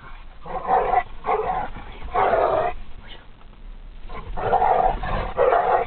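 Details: Fighting pitbull and dachshund named Harley and Lily give harsh, throaty growls in uneven bursts, with a quieter gap midway before the growling returns.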